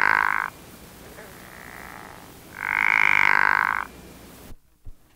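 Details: Pickerel frog (Rana palustris) giving its mating call: a short snoring croak, a fainter one, then a longer, louder rattling croak lasting about a second, followed by silence.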